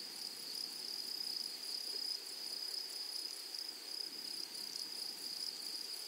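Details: In a flowery meadow, grasshoppers keep up a high insect trill that swells and fades gently in loose waves about every second or two. A faint, higher ringing overtone persists above it.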